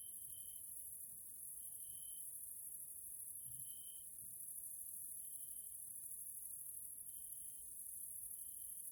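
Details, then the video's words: Evening insect chorus of grasshoppers in a nature area in Hungary, Central Europe: a constant thin, high hiss, with brief clear whistle-like notes recurring every one to two seconds and faint low thumps. "grasshoppers sounds in nature area Hungary Central Europe"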